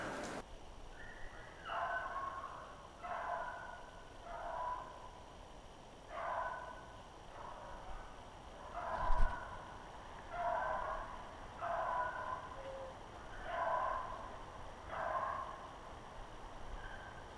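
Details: Beagles hunting snowshoe hare on February 25, 2016: distant, drawn-out baying notes come in a loose series about every second or two, steady background hiss throughout.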